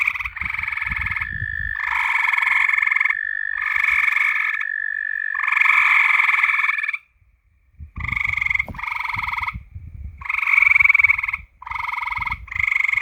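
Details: Frogs at night giving bursts of rapid pulsed croaks, each burst about a second long and repeated in quick succession. A full second of silence falls near the seventh second before the calling resumes.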